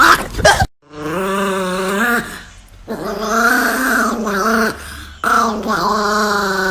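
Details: Angry Chihuahua growling in long, tonal, grumbling stretches that rise and fall, each lasting a second or more, with brief pauses between them and a short noisy burst at the start.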